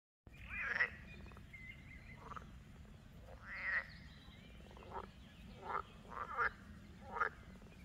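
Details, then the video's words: Frogs croaking in a chorus, heard from a distance by an excited dog: short rasping croaks in bursts, overlapping callers, several loud calls spaced irregularly over a steady low background hum. "das Frosch-Konzert"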